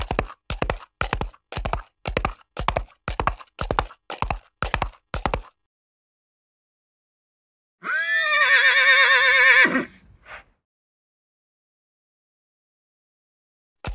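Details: Steady clip-clop hoofbeats at about two per second, then silence before a single wavering whinny of around two seconds with a trailing snort, from horses on open prairie.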